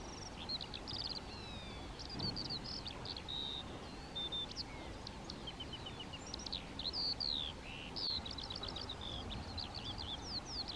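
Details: European ground squirrels (Spermophilus citellus), colonial and active by day, calling within their colony: many short high whistles, some sliding down and some chevron-shaped, overlapping irregularly over steady low rumbling background noise.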